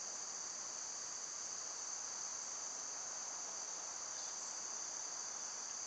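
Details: Summer cicada chorus, droning as a continuous shrill hiss-like buzz that never pauses or changes pitch, with one faint brief chirp near the end.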